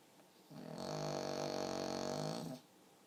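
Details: A sleeping pug gives a single sustained snore of about two seconds, a rough, vibrating drone rich in overtones that holds level before stopping abruptly, with a quiet room around it.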